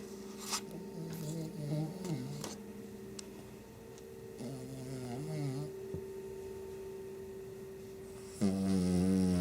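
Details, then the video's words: Sleeping Shih Tzu snoring softly, with low rumbling, wavering snores near 2 and 5 seconds over a steady hum, then a louder, harsher breath at the very end. "Shih Tzu snoring"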